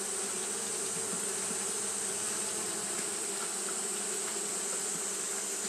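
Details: Japanese honey bees fanning continuously on a hot day: a steady, unbroken droning hum with layered low tones, under a constant high, bright hiss that runs through the whole recording.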